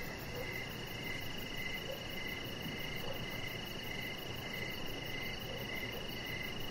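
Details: Crickets in the evening near a deck: a train of brief chirps roughly every half second, a steady piercing hum, a few softer low notes at intervals, and continuous hiss beneath.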